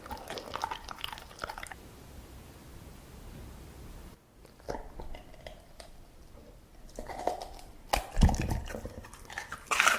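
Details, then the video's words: Dog at its food, crunching and chewing in short bursts separated by quieter pauses, with a loud bite near the end. "냠냄 먹는게 젤 좋아!"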